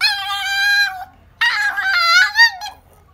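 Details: A Toy Poodle named Hime, described as talking, gives two drawn-out, voice-like howling yowls with rich harmonics, the first steady and the second wavering and rising and falling, indoors.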